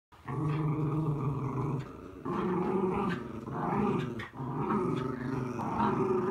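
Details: Miniature Schnauzer indoors on a rainy day, taking out its frustration on a mat: a deep, rumbling, continuous growl with brief pauses, rising into harsher snarling bursts near the end.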